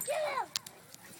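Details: Two English Mastiffs, Angel and Hercules, play fighting. One gives a short, high, whining yelp that slides downward over half a second. A faint click follows.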